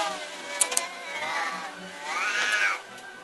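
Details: Pet cats fighting outside a house late at night: a moderate, moaning yowl rises and falls, then a second louder wail bends upward and fades, with two brief clicks early on.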